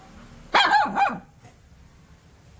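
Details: Puppy barking at the camera or toward an off-screen sound: one loud, rough double bark with a wavering, slightly growling tone, followed by quiet background.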